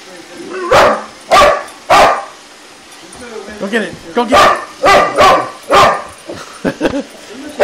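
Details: Boxer dog confronting an iRobot, giving loud, sharp barks in irregular clusters with short pauses between, some barks doubled, and a human voice faintly mixed in among the barking.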